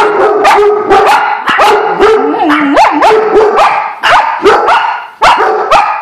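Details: Several dogs react to a squirrel with nonstop excited barking, sharp yips and bending, whine-like yelps that overlap into a continuous chorus, broken by brief gaps.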